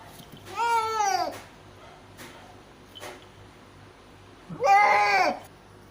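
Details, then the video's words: A cat in labour, delivering five kittens, gives two long strained meows about four seconds apart, each rising then falling in pitch, with faint knocks between them in a small indoor room. "cat giving birth of 5 kittens"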